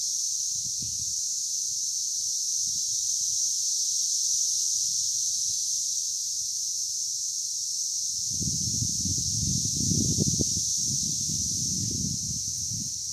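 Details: Brood X male periodical cicadas in Hidden Valley, Indiana, on May 24, 2021, singing a mating call as one continuous high shrill drone, with low rustling and bumping noises growing stronger in the second half.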